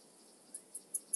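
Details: Alpine saw bush-cricket (Barbitistes obtusus) at Brixen, Italy, on 11 September 2022, picked up with an ultrasound detector: four very high, brief ticking pulses about every fifth of a second, each louder than the last, over a quiet background.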